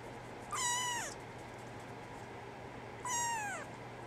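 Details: Female brown tabby and white kitten, born 24 December 2010 and growing up while awaiting a new family, gives two clear descending meows about two and a half seconds apart over a steady low hum.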